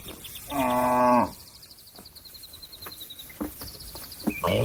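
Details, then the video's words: Cattle mooing to call a companion that is grazing on grass to come home to the barn: one loud, low, harmonic moo of about a second, followed by quiet sparse clicks and high bird chirps in the background. "suara sapi memanggil kawan yang lagi makan rumput untuk pulang kekandang nya"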